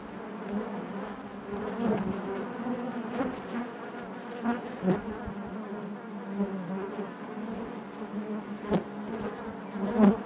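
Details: Steady droning of honey bees in their hive, a warm layered hum with small pulsing swells and scattered sharp taps, one louder buzz arriving right at the close.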